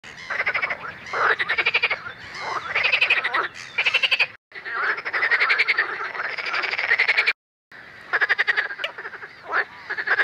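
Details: Several edible frogs (Pelophylax kl. esculentus) call together in May at Het Vinne, Zoutleeuw, Belgium, with harsh, ratchety, quacking bursts of fast pulses rising and falling in loudness; rattling phrases repeat and overlap, with brief cuts between them.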